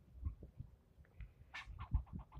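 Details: Squirrel berating a person in a long yelling bout: after low thumping, a harsh rasping note opens a fast series of short repeated barks that runs to the end.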